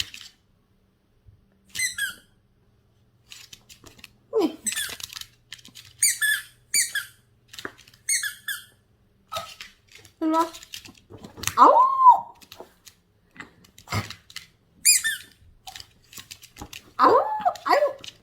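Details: Yorkshire terrier named Gona, left alone to guard the house, greets family members coming home indoors with a series of high, squeaky whines in short bursts, some rising then falling, scattered across the clip with brief pauses.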